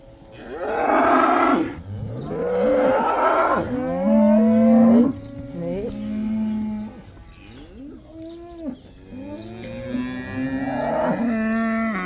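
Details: Cows in the Netherlands being let back out to pasture for the so-called cow dance (koeiendans); a run of loud, drawn-out moos from more than one animal, some bending up then down in pitch, following one another every couple of seconds.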